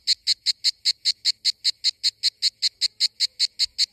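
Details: A cicada sings in summer in Greece with a loud, high, buzzy rhythm of rapid, evenly spaced pulses.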